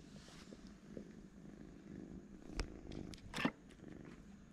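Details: Twin kittens sleeping together give a soft, low, steady purr, a quiet pulsing rumble that runs through the whole stretch, broken by a couple of short rustling clicks near the end.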